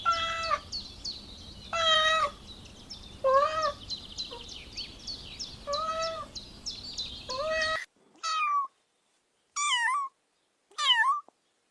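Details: Kittens on the grass stalking butterflies, meowing repeatedly: short high mews, some with a rising-falling bend, over faint background hiss, then three clear separate meows after a sudden quiet.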